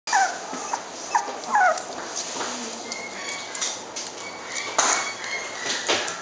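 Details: Shiba Inu giving a few short, sliding whimpers near the start, then quieter, with steady hiss and faint background noise throughout.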